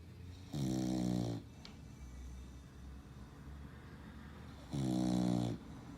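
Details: Female English Bulldog, lilac tri in colour, snoring loudly while asleep indoors: two long, rumbling, buzzy snores, each under a second, about four seconds apart, with quiet breathing between.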